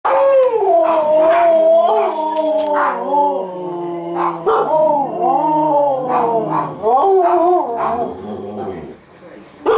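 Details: One of two Siberian huskies howling for their supper in drawn-out, tuneful, yodel-like notes that swoop up and down and waver with brief breaks, begging at feeding time.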